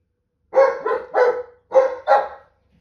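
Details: German Shepherd reacting to a police car alarm with five short, harmonic, yowling barks in two quick groups, each slightly wavering, with no other sound.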